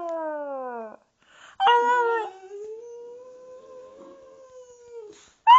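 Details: Boxer howling together with its owner indoors: a short falling howl, a pause, then a sudden loud yelping onset that settles into a long, thin, steady tone that slowly fades, with another burst at the end.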